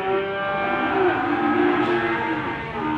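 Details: Limousin cattle mooing at a morning livestock market in Gondanglegi, Malang Regency, East Java, 12 February 2020: sustained, slightly wavering low moos with layered harmonics, backed by continuous crowd din.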